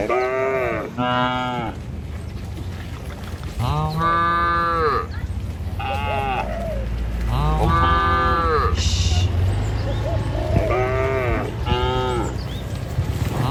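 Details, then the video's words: Tame herd of dozens of cattle being herded across a river bridge toward a village in the morning, heading to pasture; several overlapping moos, some rising then falling, repeated every second or two over low rumbling ground noise. "Gembala Puluhan Ternak Sapi Melintasi jembatan Sungai, Suara Moou Sepanjang Jalan Menuju Desa"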